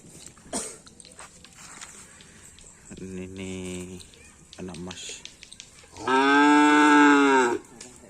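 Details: Cattle kept for karapan sapi bull race training in Indonesia, two loud drawn-out harmonic moos, one around three seconds in lasting over a second, another stronger one lasting about one and a half seconds, with men talking nearby.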